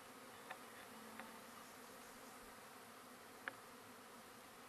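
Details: Russian honey bees in a relocated hive, set down at midnight after a four-hour drive at the base of a large tree in a paddock at Apollo Bay, April 2012; faint, even drone with a few sharp ticks.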